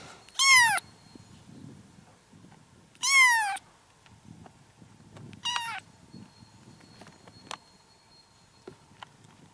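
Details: Tiny kittens making three sharp, high mews spaced a few seconds apart, each quickly falling in pitch, followed by quieter background rustling and clicks.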